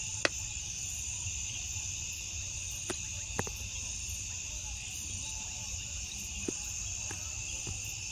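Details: Crickets calling at night: continuous piercing trills in two high bands, a light pulsing beat above, and several isolated sharp clicks punctuating the steady chorus.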